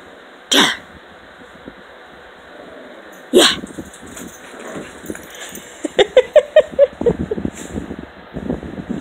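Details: Playing puppies in the morning: after two sharp sneeze-like bursts, a run of short rough yelps and grumbling play noises comes in rapid pulses, with a woman speaking and laughing in the room.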